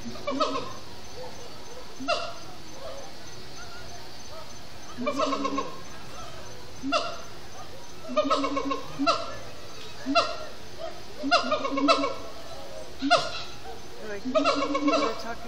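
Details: Siamang gibbons singing at sundown in a zoo setting after brief frenetic play: loud, hooting chant notes in bursts roughly every second or two, each a stack of rising and falling whoops, with steady background hum.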